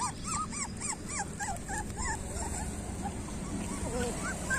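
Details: Street puppies yelping in quick succession: high, arched, squeaky cries repeated several times a second, then trailing into softer wavering whines against a steady low rumble.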